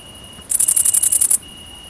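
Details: Great green bush-cricket, Tettigonia viridissima, around mating, recorded in the countryside of central France on 22 August 2016: a brief burst of about eleven rapid, very high, hissing pulses, with a steady thin whistle-like tone running underneath.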